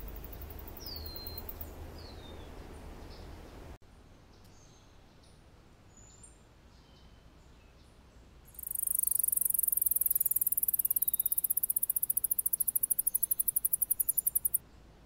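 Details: Alston's singing mouse (Scotinomys teguina) singing, partly shown slowed from 100 to 30 frames per second: first, a few downward-sweeping high whistles, then a long, rapid, evenly spaced trill of very high notes lasting about six seconds over a quiet low hum.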